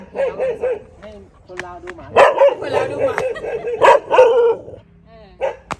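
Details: Dogs bark at a friend's home in Thailand: quick wavering yips at first, then a dense run of overlapping barks and whines, trailing off into a few sharp isolated barks with some speech.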